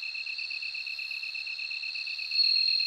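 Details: Ringing high-pitched song of a bell cricket, held continuously and rising in volume near the end, layered over a fast, regular pulsed chirp at a lower pitch.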